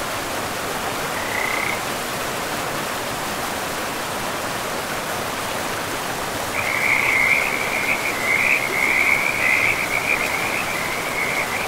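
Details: In a pristine forest, a frog by a river gives one brief high trill, then after a long gap a louder, sustained pulsing trill for about five seconds, all over the continuous wash of the stream.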